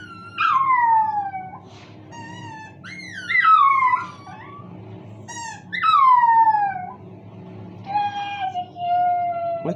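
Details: Domestic dog howling along to the noise of a squeaky toy at home: several long, high, wavering howls sliding downward, separated by short pauses, with toy squeaks mixed in.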